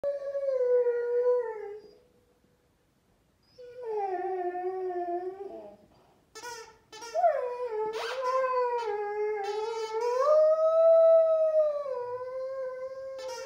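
A Rhodesian Ridgeback howls in long, wavering tones, broken by brief pauses and a squeaky toy.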